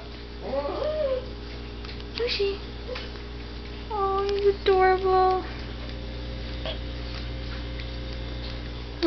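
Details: Papillon dog howling in response to passing ambulance sirens, short wavering tonal howls, a rising one early, then a longer pair of sustained howls, with a person talking affectionately and a steady low hum throughout.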